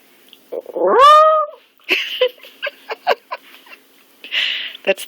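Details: Lottie, an old, blind, partly deaf stray dog, lets out a single rising, tonal wail lasting about a second, then gives a string of short clicking, huffing breaths and snuffles.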